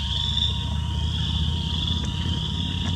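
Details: Spring peepers in full spring chorus in Southeast Wisconsin, high piping notes merging into a steady shrill drone over a constant low rumble, with a couple of faint sharp taps, likely a woodpecker pecking.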